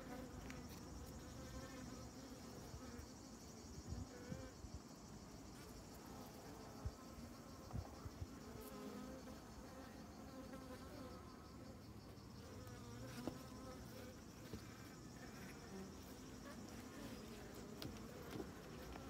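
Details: A continuous hive drone from a crowd of honey bees working over honeycomb, low and humming with steady overtones, the buzzing swelling slightly at moments, with scattered light taps throughout.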